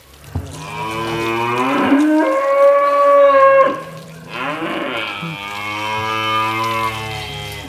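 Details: Two long, loud, resonant moos come from Angus cattle described as the largest in Indonesia. The first call swells and holds steady, and the second follows after a short gap.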